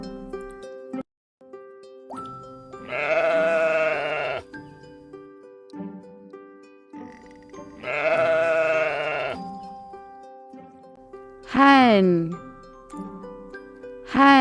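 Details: Sheep bleating in a children's farm-animal learning piece: two long wavering bleats of about a second and a half each, set over a steady music backing, followed by brief sweeping tones.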